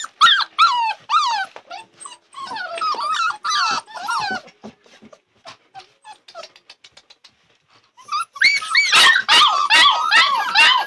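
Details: Labrador Retriever puppies crying together: high, harmonic whines and yips in quick bursts that bend up and down, fading to soft scattered squeaks midway, then swelling into a loud overlapping chorus of whimpers at the end.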